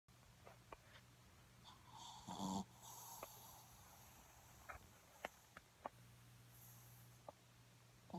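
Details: Snoopy the dog snoring while asleep: a single raspy, breathy snore swells briefly near the middle, with soft clicks and a faint steady hum in a quiet room.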